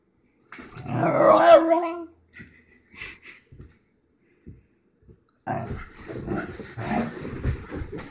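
A Basenji gives an excited, wavering yodel-like howl, followed by scuffling and rough, breathy noises.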